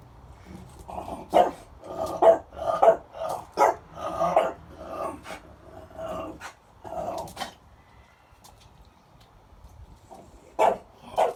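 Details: A French Bulldog sneezes seven times in short, snorting bursts, several close together and then a pause.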